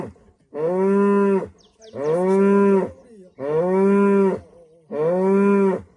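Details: Morning moos from a female cow in rural Rwanda at sunrise: four loud, sustained harmonic calls, each slightly arched in pitch, repeated about every one and a half seconds, with faint clicks between.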